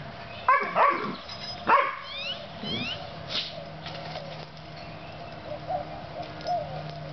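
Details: Puppies Oreo and Brutus at play give a few quick high yips and barks in the first two seconds, then softer scattered squeaks and whines fade against a constant low hum.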